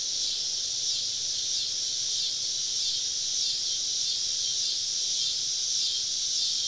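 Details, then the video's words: Cicadas chorus on a southern summer evening deep in the woods, many insects all around a campsite; a dense, steady high-pitched shrill hiss holds without a break, swelling faintly in slow regular pulses. "Southern Evening Summer Cicada Symphony"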